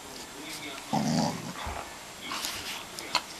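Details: An English springer spaniel gives a brief, low, throaty grumble with a whining edge while dancing with joy over his first dog chewing gum.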